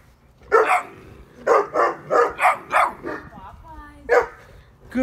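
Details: Eight-week-old Neapolitan Mastiff puppy barking at night in a yard at its mother, whom it mistook for a stranger; a run of deep, rough barks in quick bursts, with a man's voice praising the puppy between them.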